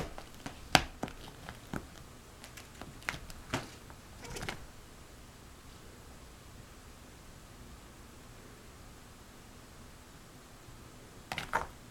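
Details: Quiet indoor room with scattered sharp clicks and taps early on and near the end, and no animal voice heard.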